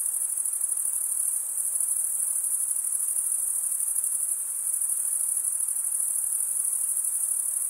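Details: A chorus of crickets stridulating with their wings gives a sustained shrill high-pitched trill, softly throbbing, a little brighter in the middle seconds, otherwise uniform.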